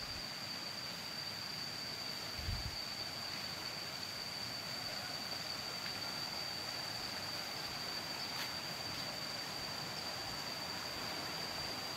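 Steady broadband outdoor noise with a constant high electrical-like tone and no animal calls.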